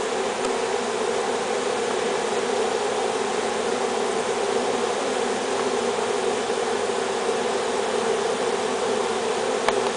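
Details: Western honey bees (Apis mellifera) of a swarm moving into a new hive, 10 April 2007, fan their wings at the entrance in a steady, dense buzz, signalling the rest to join them inside; most are already in.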